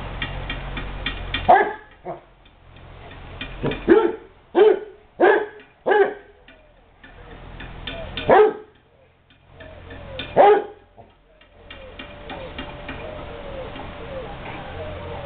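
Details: Playing basset hounds at the Light From The East Kennel let out loud, ringing barks, some doubled, in an irregular series with pauses between, followed by quieter whining near the end over a low background hum.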